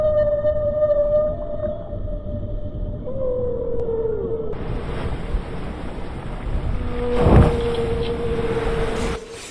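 A whale gives long, steady tonal moans, then a short falling sweep and another drawn-out tone. A constant underwater hiss runs beneath them.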